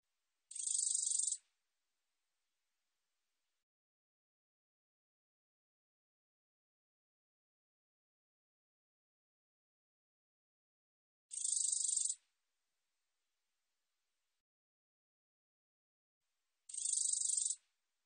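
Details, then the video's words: Black-edged katydid song: three dry, high buzzy bursts, each about one second of rapid pulses, separated by long silent gaps of several seconds; no other sounds. "검은테베짱이, 여러번 듣기, 곤충소리"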